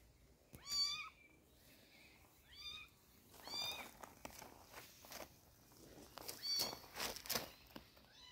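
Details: Kitten receiving eye drops for its sore eyes gives a few high, bent meows early on, then rustling and handling noise fill the rest.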